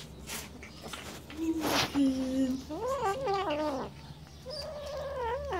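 A Siamese cat utters drawn-out, warbling yowls that rise and fall in pitch, a possessive warning while it guards its fish. A brief clatter of handling is heard just before the calling starts.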